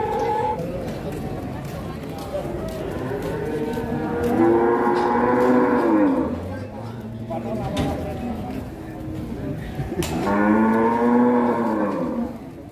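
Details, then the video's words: Cattle at Grabag market, a huge bull raging: two long, loud, harmonic moos, the first at about four to six seconds, the second near ten to twelve seconds, over crowd chatter and market noise. "SAPI MONSTER NGAMUK DI PASAR GRABAG"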